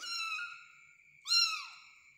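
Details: Kitten being hand-fed indoors, giving two high, thin meows with rich harmonics, the second louder and falling in pitch, against a steady high electronic tone in a quiet room.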